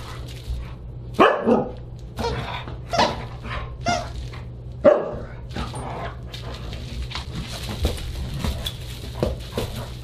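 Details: Siberian Husky barking at a dinner party on December 29, 2022: a series of sharp, irregularly spaced barks and yips over about ten seconds, with a constant low background hum and some clatter near the end.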